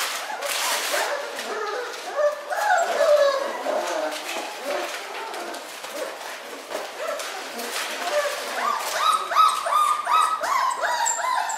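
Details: Newborn miniature schnauzer puppies born on New Year's Day: thin, high squeaking whimpers and yips, overlapping and repeated rapidly, several short rising-falling cries layered throughout, with fainter broadband rustling between them.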